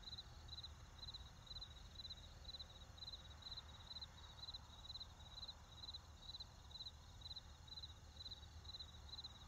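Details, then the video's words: Field crickets keep up a steady high-pitched pulsed chirp, short bursts about twice a second, with low rumble beneath and no other clear sounds. "Cricket Sounds In A Field"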